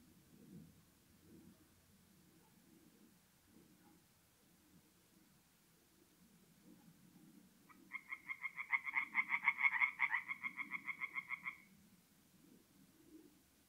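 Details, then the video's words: Night ambience at a forest pond in north-eastern Italy in mid-April: soft low murmuring, then around eight seconds in a tree frog bursts into a short four-second run of quick, rasping croaks before fading back to quiet. "relaxing forest pond by night with singing tree frogs"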